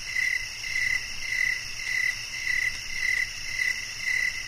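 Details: Cricket chirping in a steady rhythm, short bright pulses roughly twice a second, layered over a constant high-pitched buzzing insect chorus.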